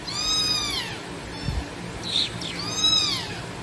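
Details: Abandoned baby black kitten left in a trash box on the street, meowing loudly: two drawn-out, arching meows with rich harmonics, about two seconds apart, over light background noise.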